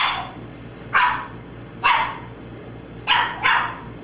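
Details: {'caption': 'Domino, a young Boston Terrier puppy, gives four sharp barks, the last two close together, against a steady low background hum.'}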